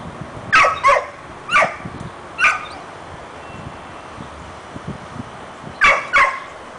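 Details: Wanting Bauer's bone yet afraid to take it, dog Harlee lets out a run of sharp barks: a close pair, two single barks a second apart, a pause, then another quick pair.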